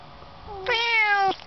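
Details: Cat named Issy or Lucas riding in a car on the way to the vet, giving one clear, drawn-out meow with a steady tone that swells louder midway, then stops abruptly; quiet car hum underneath.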